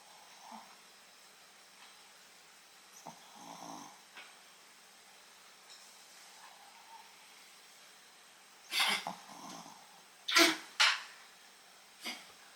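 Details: Shih Tzu named Fuku asleep and snoring, about as loud as a human snore: soft, scattered breathy sounds, then a cluster of loud, raspy, broadband snorts near the end and one more a second later.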